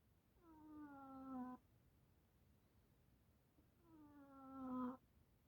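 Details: Domestic cat at home, described as snoring: two drawn-out, moaning, harmonic tones about a second long, each sliding slightly downward and swelling louder toward its end, separated by a quiet pause.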